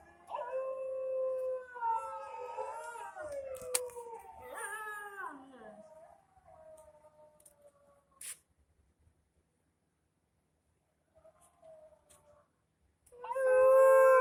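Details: Indian dog, called kutta locally, crying with long wavering howls that rise and fall in pitch over the first six seconds, a quiet stretch, then a loud howl returning at the end.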